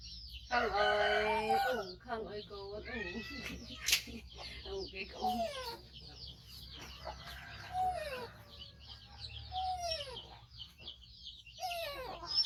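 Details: Rescued five-month-old baby monkey, missing one foot from a trap injury, calling loudly while waiting to be fed: a burst of strained, harmonic wavering cries, then a run of shorter rising and falling squeals and whines, with a person's voice mixed in.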